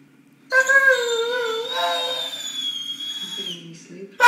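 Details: Weimaraner dog wanting the ball, a long drawn-out vocal whine-howl lasting about three seconds, starting lower and wavering, then holding a steady high tone before fading, in a quiet indoor room.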